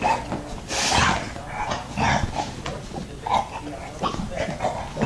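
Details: Several puppies with their father Yoda, giving soft snuffling grunts and short squeaky yips in quick irregular bursts over household rustling, with a person talking nearby.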